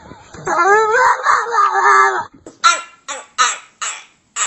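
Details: Domestic dog making funny, weird sounds: a drawn-out, wavering whine-like cry of about two seconds, then four short, sharp yips at even intervals, with a person's voice faintly nearby.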